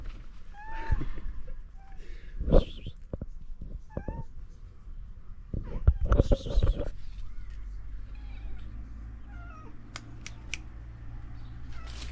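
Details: Street cats in Morocco seeking food in the morning let out a few short, scattered meows amid handling noises, thumps and a steady low hum.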